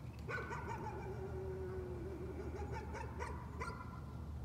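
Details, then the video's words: Nuisance barking by a dog: a short burst of barks running into a drawn-out whining tone, followed by several more scattered barks, with a steady low hum underneath. "Nuisance barking again."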